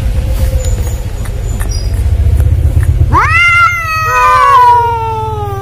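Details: An Angora cat, possibly with a village cat, gives a loud, sharply rising meow, then a drawn-out falling wail, like a male cat's calling, over a low engine-like rumble.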